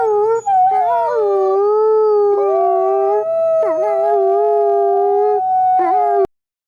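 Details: A wolf howl: a long, clear, sustained tone with small dips and slides, broken by a few brief restarts that swoop up sharply, then cut off cleanly into silence.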